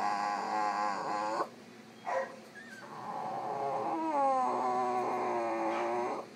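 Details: Drowsy female French Bulldog recovering from anaesthetic after surgery at a clinic, unhappy and mildly uncomfortable: sustained nasal whines, one breaking off abruptly, then a brief yelp and a long wobbling moan that dips and rises.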